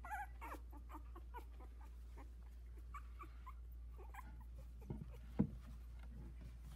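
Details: Havanese puppies, a litter of four just 16 days old, some barely opening their eyes and one trying to climb out of the whelping box; soft high whimpers open the clip, then quieter squeaks over a steady low indoor hum.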